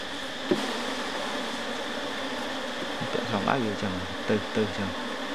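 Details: Asian honey bees at a hive just after honey harvest, as a frame is put back into the beehive: a steady, dense droning buzz throughout, with people speaking Vietnamese nearby.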